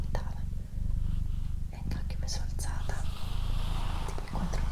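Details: Doroti, a female pet cat, purring indoors: a steady, deep rumbling purr with a fine pulsing texture runs throughout, beneath soft human whispering and brief rustles.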